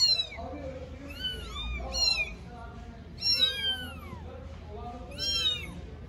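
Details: Four-week-old kittens in Istanbul, all meowing at once: clusters of overlapping high mews roughly every second, some short and some longer, with a woman speaking Turkish quietly underneath.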